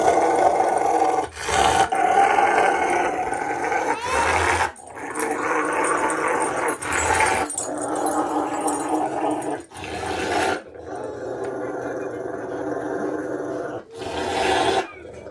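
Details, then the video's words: Pet dog Bear, in Ohio, USA, on May 18, 2021, is wiped with a towel after the rain and growls theatrically though he enjoys it. Long raspy growls come in bursts broken by short pauses, with towel rubbing. "Dramatic Doggy Growls While Being Dried"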